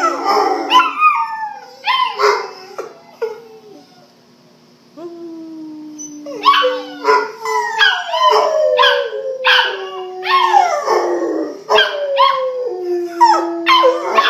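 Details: Pet Rottweilers in a group howl, mixing sliding wavering howls with short yips and yelps, pausing briefly in the middle before the chorus swells again, dense and overlapping.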